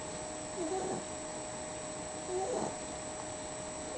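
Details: Sleeping dog snoring: two soft, breathy, rasping bursts about two seconds apart over a steady electrical hum.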